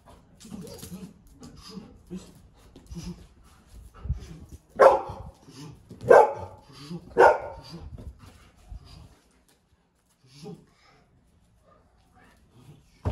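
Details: Golden Retriever kept as a household dog and trained to guard personal property, barking during a security training session: a man speaks softly, then three loud, sharp barks about a second apart, followed by quiet.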